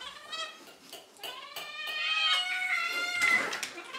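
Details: Pet cats screaming for their dinner indoors; drawn-out, strained meows with stacked harmonics, one swelling louder and rising near the end, alongside soft clinking.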